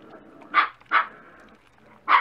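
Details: Dachshund puppies at breakfast time give three short, high yelping yips, each a brief sharp burst, spaced unevenly over about two seconds, with a quiet background.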